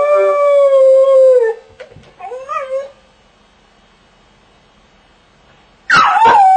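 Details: Crated dog howling: a sustained howl drops away after about a second and a half, a brief wavering whine follows, then several seconds of quiet before a new loud howl bursts in.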